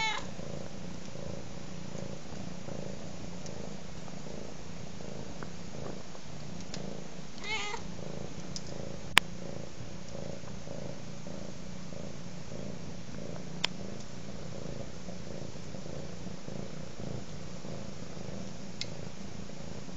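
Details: Domestic cat purring steadily indoors, a soft low rumble pulsing in an even rhythm of under a second per cycle, with sharp sparse clicks from a crackling fire and a faint hiss throughout.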